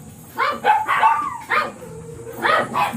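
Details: At a morning kennel in Manaoag with the blue Miniature Pinscher Ziggs, a small dog gives five or six sharp, high barks in two bunches, with a faint low hum between them.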